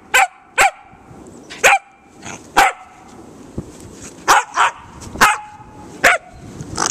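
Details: Kilo, a dog in the snow, battling a frozen squirrel-like object: sharp, loud barks ring out about nine times, often in quick pairs with short gaps, while a person talks quietly between them.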